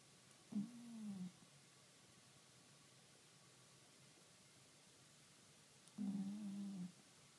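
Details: Kuro, a cat, snoring while asleep, recorded 28 April 2013: two low, droning snores about five seconds apart, each lasting close to a second, over a quiet, steady room hiss.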